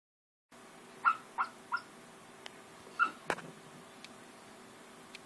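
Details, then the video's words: Arwen, a napping English Springer Spaniel, dreaming in her sleep: three soft muffled yips about a third of a second apart, then two more after a pause, followed by quiet breathing in a still room. "Springer Spaniel Dreaming"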